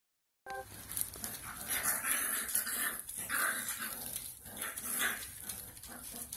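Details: Bullcorsodogo puppies, five weeks old, in a kennel, giving a steady run of high, overlapping yelps and whimpers with no clear pauses, with scuffling and rustling beneath them.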